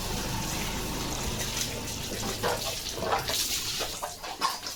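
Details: Water from a garden hose splashes and gushes steadily on a farm in the early morning, with bursts of spraying and dripping and no animal sound heard.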